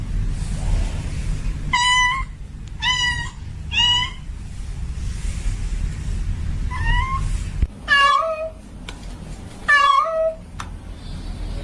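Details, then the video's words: Female domestic cat in heat calling for a mate: three short, evenly spaced meows, then after a pause a run of lower, falling cries, all over a persistent low-frequency hum. "Suara Kucing Betina Lagi Birahi Memanggil Jantan Minta Kawin"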